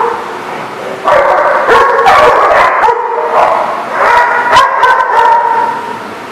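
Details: Dogs at a boarding or play facility barking and yelping together, dense overlapping harmonic barks in rapid bursts, a chorus with a loud stretch from the first second onward.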